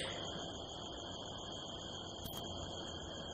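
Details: Crickets at night in the California desert hills under a harvest moon, heard from a rooftop: a steady, continuous high-pitched trill holds throughout, over a low background rumble, with one brief sharp click partway through.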